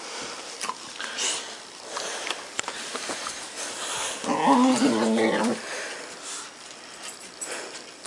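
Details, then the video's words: A puppy making odd noises indoors: a wavering, whiny vocalization of about a second near the middle, with faint sniffing and rustling before and after. "Puppy making a funny but weird noises."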